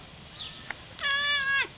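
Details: Pet cat talking to birds, giving a steady, even-pitched meow of about half a second that ends in a brief downward drop, following a faint short chirp.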